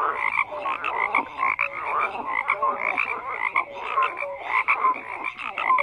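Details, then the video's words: Many frogs croak together in a thick chorus, rapid pulsed calls layered over brief tonal notes that recur irregularly, with the dense background of callers never pausing. "FROGS CROAKING"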